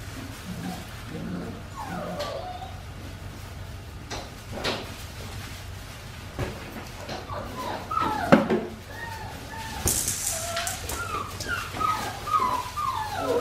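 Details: Four-week-five-day-old Australian Shepherd puppies of Winnie's litter on a baby cam; repeated thin, wavering whines and short squeaks, joined by shuffling clicks and a brief rustling burst, above a constant low hum.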